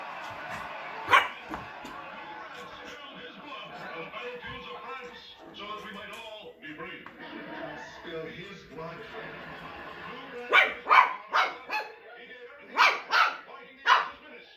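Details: Two Shih Tzus playing, a 3-month-old puppy and a dog about 10 years old: after a stretch of murmuring voices and background music, a burst of about six sharp, high yipping barks comes close together near the end.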